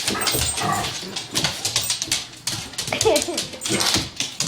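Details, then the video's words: Dogs fighting indoors: rough snarling and growling bursts with yelps, mixed with people talking over the scuffle. "Dog fight"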